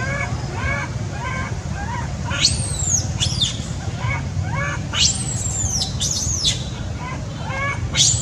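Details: Sweet Pea, a baby male monkey crying loudly out of anger at his mother, alternates short nasal whining cries with shrill, high screams that rise then sweep downward, repeated in rapid bouts over low background rumble.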